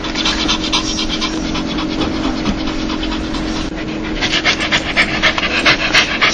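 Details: Happy, joyful dog giving its laughing sound, rapid rhythmic huffing pants roughly 220 a minute, airy and breathy, building into louder, sharper puffs in the final seconds above a faint steady hum.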